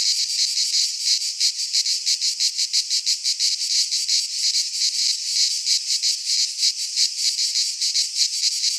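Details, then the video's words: Midsummer chorus of cicadas in a Greek pine forest, a loud shrill drone pulsing in clear rhythmic beats roughly three per second, steady throughout with nothing else heard. "Cicadas singing in midsummer - Nature sounds from the Greek fauna - Sounds of cicadas"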